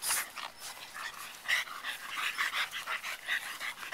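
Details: Three pied French Bulldog puppies playing together in a yard; short rough growling yips and snorts come in quick bursts about every half second, with little else in the background.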